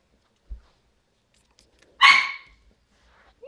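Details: Havanese puppy from a litter of seven at five weeks old gives one sharp, loud bark after a soft knock, with quiet stillness around it and a faint short squeak at the very end.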